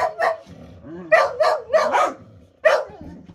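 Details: Whippet barking after taking a play game too far: about six sharp, harmonic barks in quick bursts, some paired, with low grumbling whines between them and faint speech.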